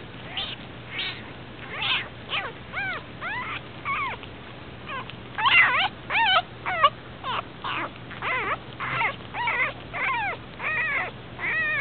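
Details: Puppy left abandoned with its eyes still shut, second day after being found, whimpering steadily: loud, thin, arching squeals that rise and drop, repeated roughly every half second to second in restless, uneven series, with a faint low hum underneath.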